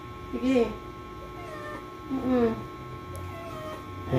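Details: Domestic cat in labour for the first time, helped by its owners: two drawn-out, rising-then-falling meows about two seconds apart, with quiet Tagalog talk around them.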